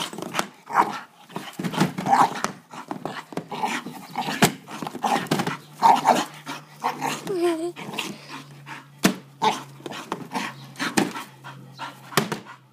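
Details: English bull terrier attacking a lawn mower: rough, noisy growls and short barks in dense irregular bursts over about thirteen seconds, with a steady low hum underneath.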